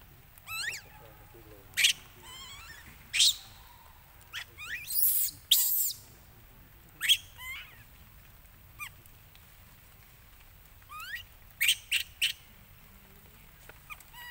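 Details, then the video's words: Baby monkey Lucie crying loudly and angrily after its mother refused it milk. Short bursts of high, wavering harmonic cries slide up and down, some rising into harsh broadband shrieks near the middle, separated by brief pauses. "OhGod ! Ve-ryP-ity Lucie Cr-y Lou-dly Se-isures An-gry Mom cos Mom R-ej-ected Milk I Lo-vely Monkey"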